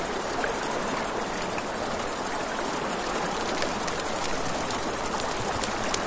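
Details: By a river after dark, crickets keep up a piercing high trill without pause, joined by frequent snapping campfire crackles and a steady background of running water.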